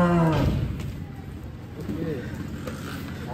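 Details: Large black contest-winning bull lets out a short, low moo that slides downward in pitch. Background noise, faint music and occasional voices follow.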